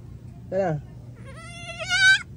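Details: Hungry goat answering a person who talks to it; a short human voice comes first, then a drawn-out nasal bleat that climbs slightly and grows louder toward its end.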